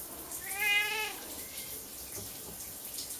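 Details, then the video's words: Loud meow from a house Siamese cat that dislikes its owner's showers and tries to open the bathroom door; one clear harmonic wail lasting about half a second, with a fainter follow-up, shower water hissing behind. "Siamese cat meowing before I take a shower"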